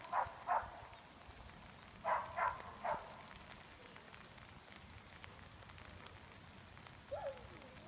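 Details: Nash, a Greater Swiss Mountain Dog working as a junior herd dog, gives short sharp barks in two quick clusters, then goes quiet under steady outdoor background noise.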